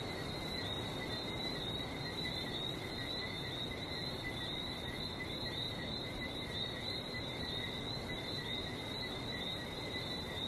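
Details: Frog chorus recorded in Barbados by the sea, an unbroken shimmer of high piping tones layered at two pitches, with a loud even wash of surf-like noise underneath throughout.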